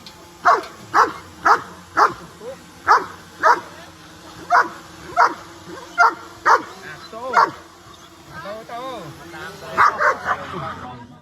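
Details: Dogs in a group watching a flying drone, reacting with excitement; one dog barks in a steady series, a sharp bark about every half second for eight seconds, then a few looser barks, over a constant faint hum.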